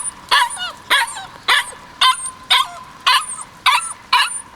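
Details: Kishu puppy, white male aged 56 days, filmed 14 March 2020, barking in a steady series of sharp high yips, about two per second, each followed by a brief falling squeal.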